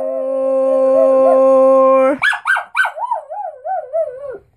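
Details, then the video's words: Singing Schnauzer howling at the end of Happy Birthday: after the people's held final note, the dog breaks into a warbling, wavering howl with quick pitch wobbles, fading away after about two seconds. "the Singing Schnauzer"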